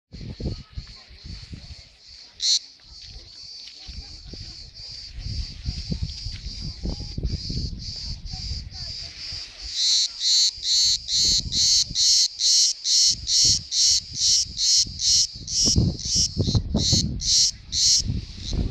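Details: Caught cricket, the kind whose chirping is heard everywhere, giving high, evenly pulsed chirps about twice a second. They are softer and mixed with low handling thumps and rustling early on, then loud and steady from midway.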